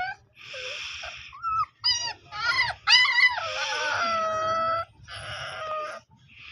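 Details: A Dogo Argentino puppy whimpering. Repeated high, whiny cries rise and fall, with short yelping squeals between breathy snuffles and a long, drawn-out whine.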